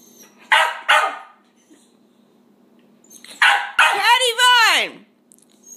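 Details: Sealyham terrier giving two short sharp barks, a pause, then a burst of barks ending in a long rising and falling howl-like yelp, indoors with a low hum.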